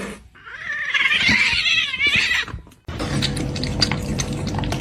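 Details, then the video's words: Kitten meowing: a long, wavering, drawn-out cry lasting about two seconds, followed by a short break, then a woman's voice speaking over room noise. "Funniest Cat 🐱 kitten meowing"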